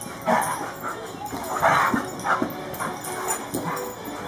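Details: During wrestling play between Champ, a German Shorthaired Pointer, and Kobe, a Cane Corso, short ringing barks and yips come in quick bursts about every half second, one bark louder and longer near the middle.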